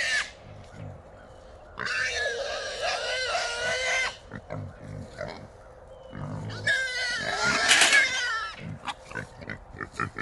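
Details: Three wild hogs caught in a small trap at night, around 3 in the morning: loud, harsh squealing bursts lasting about two seconds each, separated by quieter grunting, with a third squeal peaking near eight seconds.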